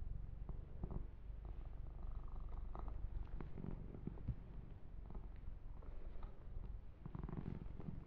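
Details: Yumak, a fluffy kitten, purrs while being massaged and groomed, a continuous low rumbling throb running throughout, overlaid with soft brushing and rubbing sounds against the fur.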